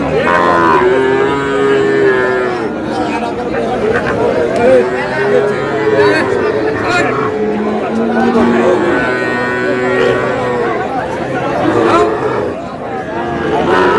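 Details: Sahiwal bull at a livestock market in Madaripur, Bangladesh, on 14 May: low, drawn-out moos with a steady tone recur through constant bargaining voices and crowd chatter.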